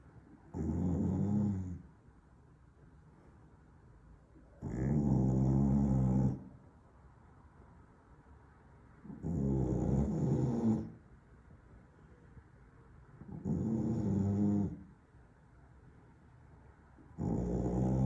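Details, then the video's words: A Staffordshire Bull Terrier snoring loudly. Deep, rasping, rumbling snores come roughly every four seconds, each lasting over a second, with quiet breathing gaps between them. "храпит как 🚜"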